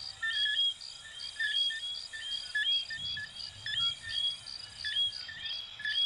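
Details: A chorus of little coquí frogs from Venezuela and Puerto Rico: many overlapping high chirping notes and short rising whistles repeating roughly every second, with steady high-pitched background hum.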